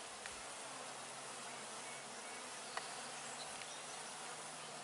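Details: Hive hum from honey bees working at apiary hives, recorded close up on June 5, 2020: a continuous low drone of many bees with a steady tone near the bottom and a brief tap partway through.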